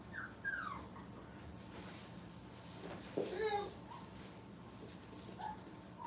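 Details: Five-week-old Brittany puppies playing at a kennel: short high descending whines and yips, with a brief harmonic squeal midway, over a steady low hum and faint background noise.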